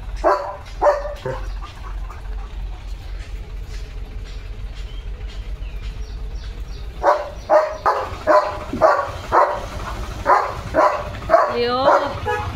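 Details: Leo, a German Shepherd, on a quiet village morning at a farm under dark clouds. After a quieter stretch with low murmuring, about eight sharp, loud barks come in an uneven run, one every half second or so, with a faint vehicle rumble underneath.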